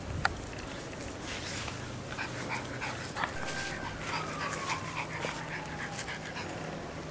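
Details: English Bulldog puppies Alexia and Agatha, from Panda and Junior, recorded 8-11-12: a thin high whine slides downward over about two seconds, with shorter soft whimpers before it, over a steady low hum and faint rustling.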